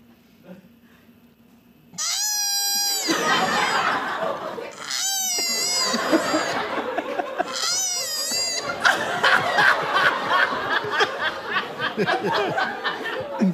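A koala gives a wavering, nasal, wailing cry in short bursts, soon drowned out by audience laughter.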